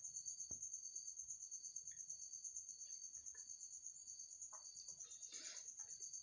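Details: A stick-like insect with a leaf-like back, trapped inside a bottle at home; a steady, thin, very high buzzing trill that pulses about three times a second, with a few scattered clicks and rustles.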